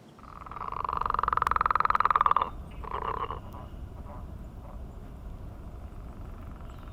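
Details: A frog's mating call on a millrace in the morning: a loud, rapidly pulsed buzzy trill rising in volume for about two seconds, then a shorter pulsed burst and fainter calls behind.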